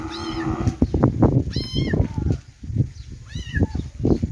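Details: Three clear kitten meows, shrill and slightly drawn out with a falling tail, come about every one and a half seconds against a dense bed of low rumbling noise.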